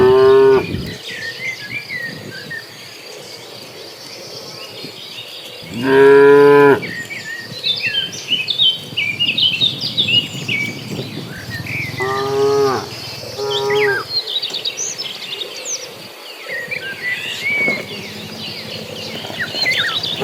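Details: Herd of cattle moving toward green grass: scattered moos, a strong one near the start and middle and a paired call later, separated by long pauses filled with busy birdsong and steady insect buzzing.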